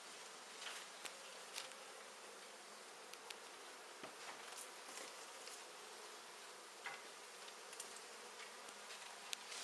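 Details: Swarm of honey bees from a large hive, half exposed and half inside a wall indoors, during a hive removal; steady broadband buzzing hum with scattered clicks and taps.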